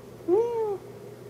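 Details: Pet cat indoors uttering one short meow that rises and gently falls, tonal and clear with faint harmonics, lasting about half a second against a quiet room background.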